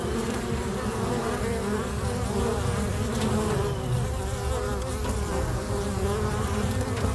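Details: A crowd of busy bees at a local bee box makes an unbroken, deep droning hum, thick and steady, with a rumbling low end and small rises and dips in tone.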